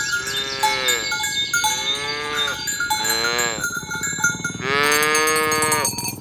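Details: Morning herd of tame cows driven along village roads toward the pen: a run of back-to-back moos, each bowing up then down in pitch, the last one louder and longer, against bright steady cowbell tones.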